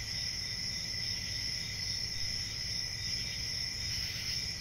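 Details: Constant high-pitched cricket trilling, several voices blended into a smooth layered drone, with a gentle low background hum and no pauses.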